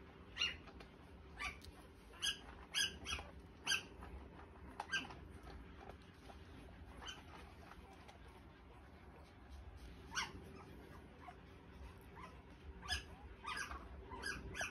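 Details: Three-day-old Australian Shepherd puppies giving thin, high squeaky cries in quick bursts over the first four seconds, then scattered squeals again near the end, with a steady low background hum.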